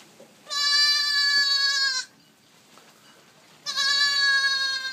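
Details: Newborn goat kids, about a day old, calling loudly: two long, high, harmonic-rich bleats about 1.5 seconds each, separated by a quiet pause.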